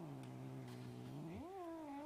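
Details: House cat wearing a onesie gives one drawn-out, low moaning yowl. It holds steady, then climbs sharply partway through and stays at a higher, slightly wavering pitch. The recording is quiet.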